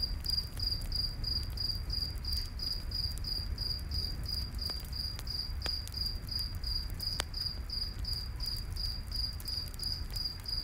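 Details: Night forest crickets next to a crackling campfire, their shrill chirps repeating rapidly and evenly for the whole stretch, with occasional sharp pops from the fire and a low, constant roar underneath.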